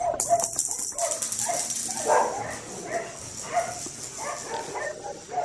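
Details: Male red merle Australian Shepherd puppy making soft, repeated yelps and whiny barks, spaced roughly every half second, under a steady hiss of background noise.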